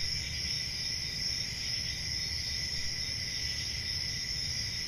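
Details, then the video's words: Night chorus of crickets in summer forest countryside, an even, piercing high trill sustained without pause, accompanied by a dull low hum. "10 Hours Relaxing Cricket Sounds For Sleep | Ambient Summer Night"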